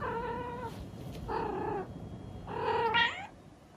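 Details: Female Munchkin cat indoors calling for attention: three drawn-out harmonic meows, the last rising and louder, each under a second long, over a low steady background hum.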